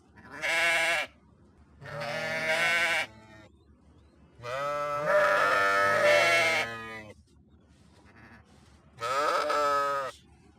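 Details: Four bleats from sheep, loud and nasal with a tremulous quaver, the third one long and doubled; quiet pauses of about a second separate the calls.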